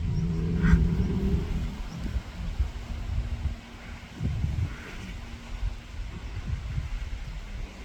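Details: Rubia Gallega cow on a farm, rejoining the herd while the group readjusts its hierarchy; a low, harmonic bellow fills the first second and a half, then low rumbling and wind noise, with faint chirps high above.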